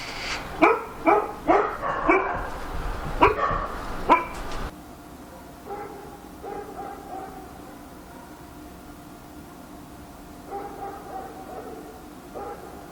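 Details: Dog barking at night in Korea: a burst of seven or eight loud, sharp barks over the first four seconds, then quieter, more distant barking in short clusters against a low background hum.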